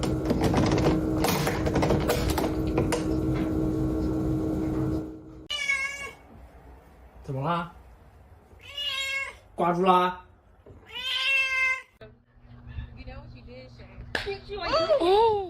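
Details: A house cat meows in a series of five short, wavering cries spaced one to three seconds apart, some rising and falling, after several seconds of synth music that fades out before the first cry.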